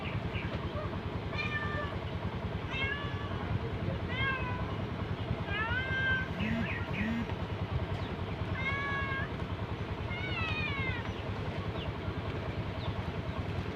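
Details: Street cats being fed outdoors, giving repeated short rising-falling meows, several in quick succession, over a constant loud low engine or traffic rumble.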